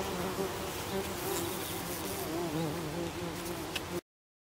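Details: At a buff-tailed bumblebee nest where young queens rest on the lid, the bees give a low, droning wing buzz that wavers in pitch as they fly.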